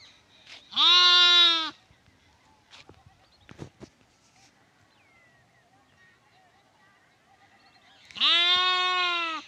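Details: Lamb giving two loud, nasal, wavering bleats about seven seconds apart, each under a second long, with a few soft knocks and rustles between them.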